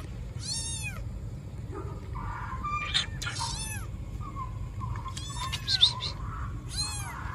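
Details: Baby black kitten left in a trash box on the street calls loudly, giving repeated bright, falling meows with rich harmonics, three or four cries separated by short pauses, over low urban rumble and some clattering.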